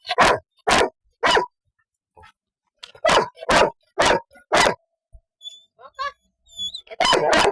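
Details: Two-year-old Golden Retriever barking in loud uneven bursts, three early barks and a run of four more, with faint high chirps and soft sounds during a short lull before a final bark.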